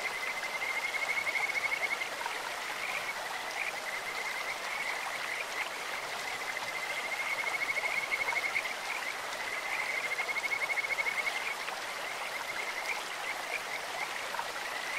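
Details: Kajika frogs sing in a clear stream with a sweet, bird- or insect-like voice: steady trilled whistles on one note recurring in several bursts of one to two seconds, beneath continuous hissing flow.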